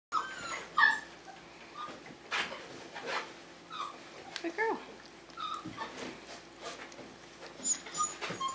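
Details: Five-week-old Tamaskan Dog puppies playing the Puppy Culture box game indoors: scattered short whimpers and squeaks with thumps and scrabbling of the box, a woman praising softly in the background.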